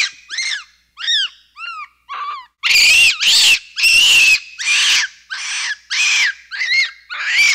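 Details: Several quick downward-sweeping whistles from a capuchin monkey give way to a long string of loud, harsh, screechy calls, each about half a second long, repeated steadily.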